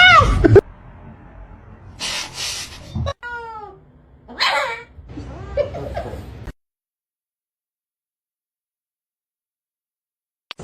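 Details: Domestic cat with a short, falling, tonal meow set between bursts of noisy clatter and music, then a quieter wavering call before silence.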